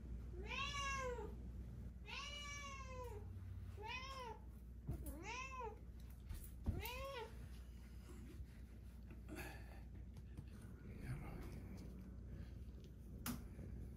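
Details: Indoor pet cat Deokbae sprawls on the floor demanding to be petted, giving a run of five or six short, arched meows in the first seven seconds, then quieter room sounds and faint rustling.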